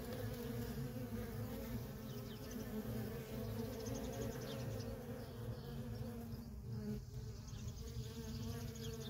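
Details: Nonstop traffic of worker honey bees at a feral colony: a dense, steady buzzing drone with strong low hum bands, continuous throughout without pause.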